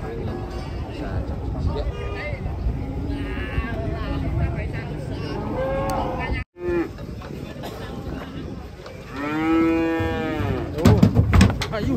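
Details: Cows unloading from a truck moo repeatedly, with scattered low calls and a strong, drawn-out bellow that rises then falls late in the clip, amid music and clattering noises at the end.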